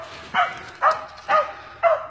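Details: Cur dog barking at a tree during a fox squirrel hunt in Texas after treeing the squirrel in a snag. Four loud, short barks about half a second apart.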